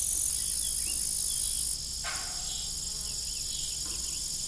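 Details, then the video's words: Evening cricket chorus on an old farm near a rusty windmill: a shrill, unbroken high trill that softens after the first seconds, with one broadband thump and faint wavering tones underneath. "Evening Cricket Sound"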